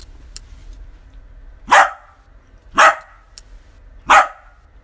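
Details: Dachshund playing fetch, filmed at night with an infrared camera; three short, sharp barks spaced one to one and a half seconds apart, with light clicks and a low background rumble.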